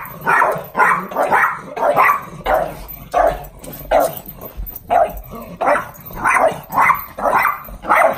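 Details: Pugs barking excitedly on hearing the garage as their owner arrives home: rapid, rough, mid-pitched barks almost twice a second, overlapping as if from more than one dog, with low rumbling background.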